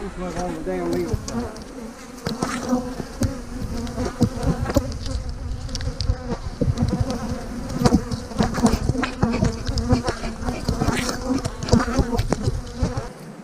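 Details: Honey bees being split into new hives on a split day in March 2020, with a queen cell in the splits. A steady low hum runs throughout, broken by frequent sharp knocks and clatter from hive handling.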